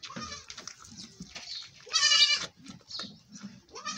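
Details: Goat being milked lets out one short, loud, trembling bleat midway, surrounded by soft shuffling, breathing and handling sounds.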